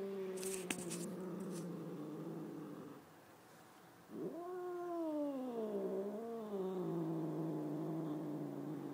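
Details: House cat behaving wildly: a low, steady moaning howl gives way to a long undulating yowl that rises, dips and swells again over five seconds, with a few clicks and handling noises early on.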